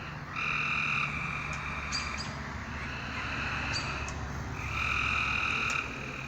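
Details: Frogs at night give three buzzy, nasal trills, each about a second long, over a constant low rumble of background hum.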